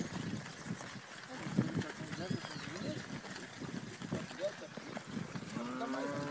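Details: Braford steers from a herd of 100 prepared for fast fattening, weighing 400 to 420 kg; one deep, harmonic moo swells near the end after scattered low grunts and shuffling herd noise, with a faint higher call in the middle.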